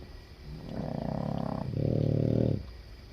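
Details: Boston Terrier snoring while asleep, one of seven sharing a bed; two drawn-out, buzzy, rattling snores, the second louder and steadier, each lasting about a second.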